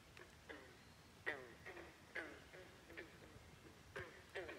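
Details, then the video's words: Frogs croaking nonstop at Great Falls National Park in McLean, Virginia: short clucking croaks with a falling pitch, roughly one every half second, from several callers that overlap against a quiet background. "Frogs Croaking at Great Falls National Park in McLean, Virginia. Non-stop croaking"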